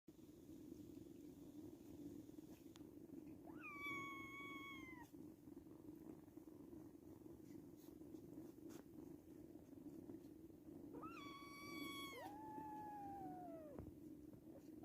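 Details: Five kittens nursing together and jostling over teats indoors; two clear rising-then-falling meows with bright harmonics stand out about eight seconds apart over a steady low hum.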